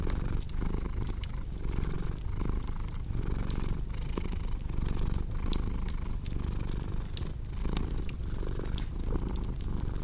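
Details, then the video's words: Cat purring continuously, a deep vibrating drone pulsing with its breathing in cycles of about a second, mixed with frequent bright snaps and crackling from a fireplace. "Purring Cat"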